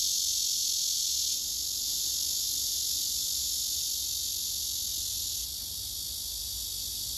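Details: A singing male cicada on a tree, another male beside it listening: loud, high, hissing drone that drops slightly in strength after about a second and again near the end, otherwise steady.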